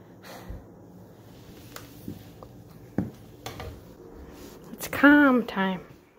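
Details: Kyroo the kitten, feeling crazy at night and jumping around a couch, recorded September 28, 2022: after scattered soft taps and clicks indoors, a short wavering trill rises and falls near the end, followed by a brief second call.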